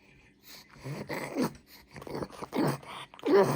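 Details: Pug puppy eating cucumber as a healthy treat, crunching it happily: a run of loud, broadband crunchy chewing bursts, each about half a second long, separated by short quiet gaps, with no clear speech over them.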